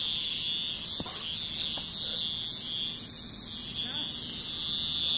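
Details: Cicadas keep up a dense, high-pitched, sizzling buzz without pause. A couple of brief, faint sounds break in near the start and middle.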